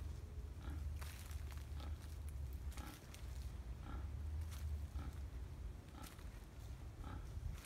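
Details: Several soft, clipped grunts from wild boars, recorded 5 November 2015 at Tampa, come about once a second beneath a continuous deep drone with occasional clicks and rustles.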